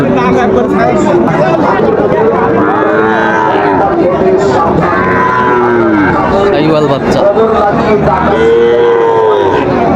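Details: Sahiwal bull calves at a cattle market in Dhaka, Bangladesh, on 15 August 2024, lowing in long drawn moos, several overlapping, amid constant crowd chatter and loud talking.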